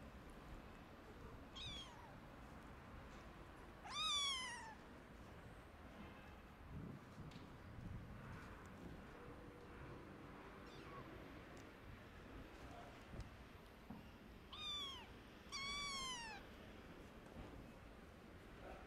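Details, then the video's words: Hungry orphan kittens without their mother meow for food: four high, downward-sliding meows, a pair early and a pair near the end, separated by a long gap of soft background noise and faint knocks. "Poor Orphan Kittens Meows And Hugs Their New Mom 🐈(hungry kitten wants food)"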